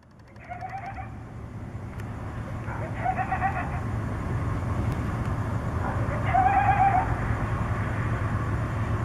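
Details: Coyotes contact calling at night in Tucson: three short bursts of high, wavering yips and quavering howls, spaced a few seconds apart, over a steady low rumble of background noise.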